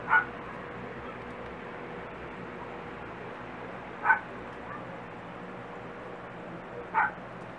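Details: Dachshund puppies six and a half weeks old from Barbee's litter of four give three short, high yips spaced about four seconds apart over a steady low background hum.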